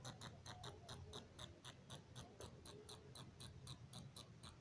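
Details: A bat inside a house in Simri, Buxar, gives sharp, high clicking chirps, about four each second, over a low indoor rumble.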